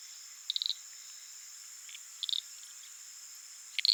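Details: Uruguay harlequin frogs (Lysapsus limellum) calling at night from a little puddle in the flooded savannah of the Pantanal give short bursts of rapid, high clicks, spaced a second or two apart.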